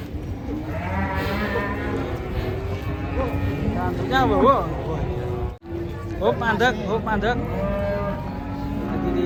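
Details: Big cattle coming down off a truck in 2023 moo in long, level, droning calls, followed by wavering, rising-and-falling shouts amid truck noise and soft background music.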